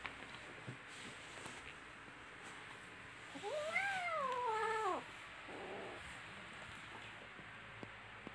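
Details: Little kittens playing and fighting with each other indoors; one clear drawn-out meow of about a second and a half, rising then falling with bright harmonics, amid quiet room noise and faint soft bumps.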